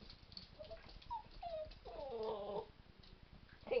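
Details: Rat Terrier and Miniature Pinscher mix puppies, Captain Jack, a three-legged pup, and Scramysaur, at play: a few short high whines and whimpers, then a longer wavering whimper, over a low steady hum and soft scuffling.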